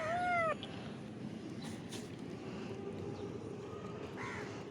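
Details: Domestic cats fed fish while hungry. A single short, sharp meow rises then dips in the first half-second, followed by a hiss of background noise, faint clatter and a soft second mew near the end.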